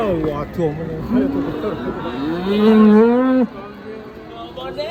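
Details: Hefty Indonesian cattle unloaded from a truck for weighing; one loud, sustained moo rising and holding for about two seconds before cutting off, with softer lowing and voices nearby.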